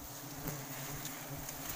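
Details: Wild forest honey bees during a sustainable honey harvest: a steady, low droning buzz with layered humming tones that holds through the whole clip, over a hissy outdoor background with a few faint clicks.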